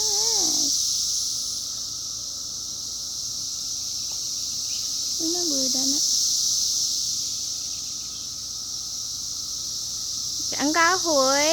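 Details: Cicadas in 2021 produce a continuous high-pitched buzzing drone throughout. Wavering voice-like squeals break in briefly near the start, in the middle and at the end.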